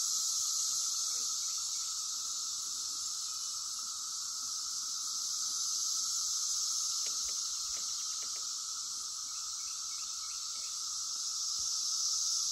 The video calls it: The sounds of cicadas